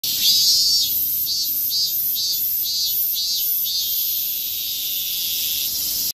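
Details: Robust cicadas in an apartment garden in Koto, Tokyo, heard on 22 July 2018, the first day they all began singing that year, give loud, high, pulsing buzzes merging into a steady shrill drone.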